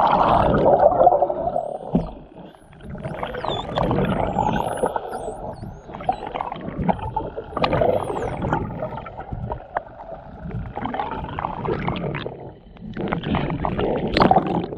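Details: Short-beaked common dolphins recorded 15 June 2020 from a whale-watch boat out of Reen Pier, Cork, produce dense bursts of buzzy pulses and creaks with thin high whistles overhead; sound enhanced.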